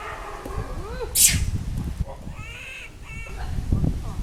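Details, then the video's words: Small young monkey crying loudly after losing its mother, giving wavering, high, tonal whimpers that rise and fall, over a loud sharp snap and steady low background rumble. "This Little Cute Monkey Crying Loudly Cos Lost Mom"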